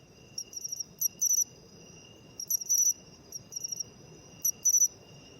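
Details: Matsumushi (pine cricket) calling in autumn, recorded where it can still be seen despite declining in cities; crisp high chirps, a short note then a longer doubled burst, coming about every one and a half seconds, with steady faint hum behind.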